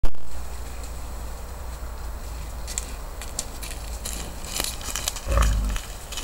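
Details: Wild boar (Sus scrofa) in Alta Valsugana, Trentino, Italy, gives low, rumbling grunts, ending in one brief, harsher grunt.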